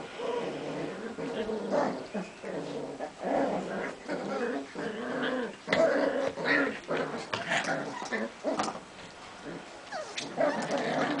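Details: White Puli puppy from a Hungarian kennel, whining and whimpering in a run of short, uneven yelps and whines with small growly bursts, nearly continuous across the recording.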